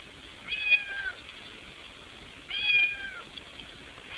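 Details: Trying to get in the house through a window, a cat utters two longer, wavering meows about two seconds apart, the second slightly more prolonged, against soft background noise.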